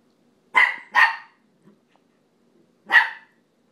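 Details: A pet dog playing on a couch barks at another dog, which seems not to react. Two quick sharp barks come back to back, then a short pause with faint sounds and a third bark, in an otherwise quiet room.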